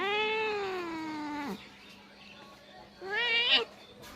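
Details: Domestic cat that refused cake keeps meowing, called singing by its owner; a long wavering meow sliding downward for a second and a half, a pause, then a short rising, sharper meow.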